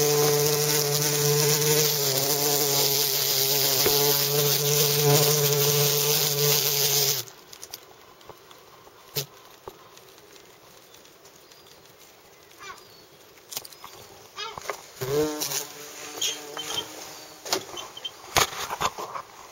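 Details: Bumblebee giving a loud, even, low-pitched drone with layered overtones for about seven seconds, which then cuts off sharply into quiet background with scattered faint knocks and rustles.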